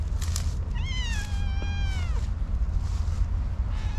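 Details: Orange tabby cat, cute-voiced and shy about opening up, producing a drawn-out, slightly wavering meow lasting over a second, then a faint short mew near the end, against constant low-pitched background rumble.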